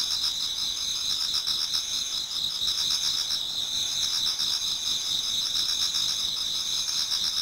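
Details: Many insects singing in a Japanese garden in autumn, towards dawn: a dense, steady, shrill high-pitched trilling layered in two bands, with softer pulsed chirps beneath repeating about four times per second, continuous throughout.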